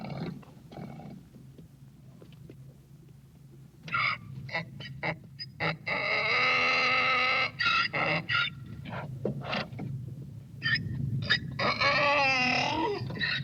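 A donkey brays loudly in harsh, rhythmic bursts after a quiet start.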